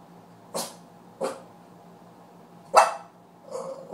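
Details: Puppy indoors giving four short, sharp barks spaced unevenly over about four seconds, the loudest third one harsh and bright, the last softer and more drawn out, with low background hum.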